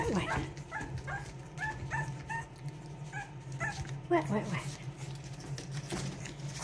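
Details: Boston Terrier puppies from Lily and Lil Red's litter of two at play, giving a run of short, squeaky yelps and whimpers roughly every half second, with a person's voice mixed in and a steady low hum behind.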